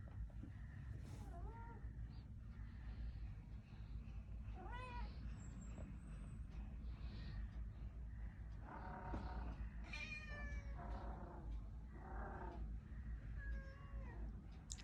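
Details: Kitten newly turned up outside in cold weather, wanting into the room but scared of the resident cat; several scattered meows, some falling, some rising-falling, with a buzzy cry near the middle over constant low rumble.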